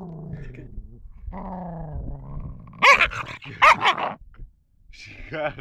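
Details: Angry 11-week-old female mixed Shepherd and Boxer puppy, adopted from the street, with a drawn-out low growl, then two sharp high barks and a rising whine; a person's voice is also heard.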